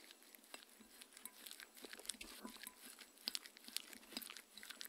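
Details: Close crunching and wet chewing from Mindy, a pet Shetland Sheepdog, eating her raw kangaroo dinner with coconut oil indoors. Quick irregular bites and bright clicks repeat over a soft hiss, with no speech.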